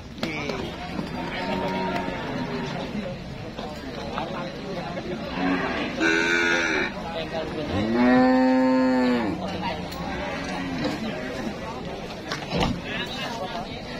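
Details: Market cattle in high demand, with traders lining up to buy. Scattered lowing gives way to one loud, long, rich moo that swells and fades over about a second and a half, amid busy human voices.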